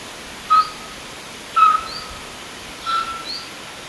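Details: Distress calls of a roe deer fawn seeking its mother: short, level, piping notes roughly once a second, the last one softer, with a small bird's faint rising chirps between them.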